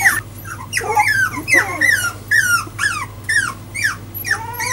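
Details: Four-week-old Jack Russell Terrier puppies, newly walking, whimpering indoors: repeated high, falling squeals and whines, each under a second, coming in quick succession over a low constant hum.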